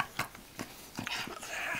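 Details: Wilbur, an English bulldog, playing on a bed indoors, gives a run of short, sharp snorting puffs, several in quick succession, with a person speaking softly nearby.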